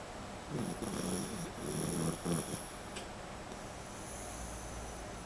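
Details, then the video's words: Sleeping miniature schnauzer named Whisky snoring like a little piglet: a run of quick, rough, low snorting breaths over about two seconds, uneven and rattling, followed by quiet breathing against a steady faint high hum. "Cute dog SNORING sweetly"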